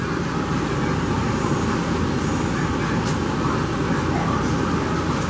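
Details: Steady roadway traffic rumble fills the whole stretch, a dense even roar with faint voices mixed in and no animal calls.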